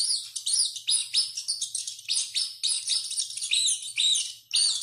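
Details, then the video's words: Running rat screaming heavily, giving rapid, shrill squeaks that rise and fall in short arcs, packed closely together, about two per second, with no other sounds. "SOM DE RATO CORRENDO E GRITANDO MUITO"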